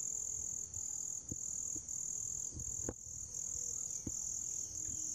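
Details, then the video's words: Grass insects keep up a steady high-pitched ringing drone that briefly breaks off several times, while scattered soft clicks and taps sound lower down. "풀벌레 울음소리"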